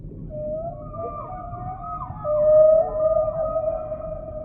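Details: Long, smooth humpback whale tones: a sustained mid-pitched moan with a higher parallel overtone, sliding in small steps and swelling in loudness midway, above a soft low hiss.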